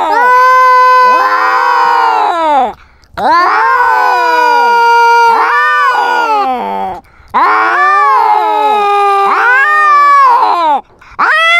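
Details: Cat fitted with a GoPro in a fight, asserting territorial dominance: long, loud, wavering yowls, each several seconds long, separated by short silent gaps, rising and falling in pitch.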